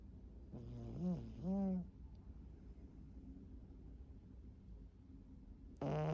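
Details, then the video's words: A sleeping foster cat, face planted down, snoring: two nasal, harmonic rasping breaths in quick succession, each rising and falling in pitch, followed by quiet and a brief louder noise at the end. "Faceplanted snoring"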